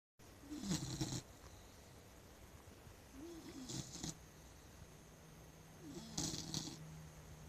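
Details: A sleeping blue nose American Pit Bull Terrier snoring indoors: three rough, breathy snore bursts about every two and a half seconds, each with a low rumbling drone and hissy upper noise, quiet between breaths.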